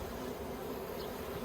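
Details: Continuous low droning of a crowd of honey bees at an Australian yellow hive with plastic frames, recorded 9 October 2021 during beekeeping.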